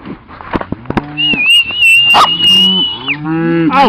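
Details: Cattle herded to new pasture with the help of two dogs, one a Cattle Dog; low moos rise and fall beneath a long, steady human whistle, with short shouted commands of "auf" and footsteps.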